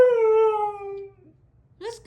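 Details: A Siberian Husky, upset and crying for more affection when its owner says they are going to bed, gives a long, smooth howl that sags slowly in pitch, then starts another.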